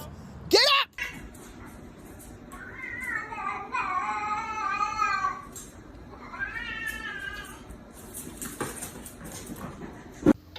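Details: A cat makes two drawn-out, wavering meows, the first about three seconds long and the second shorter and rising, with sharp knocks and clicks before and after in a small indoor space.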